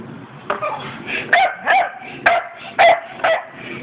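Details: Pet Staffordshire Bull Terriers at play giving short sharp barks, about five in under four seconds, spaced unevenly over a low rumbling background.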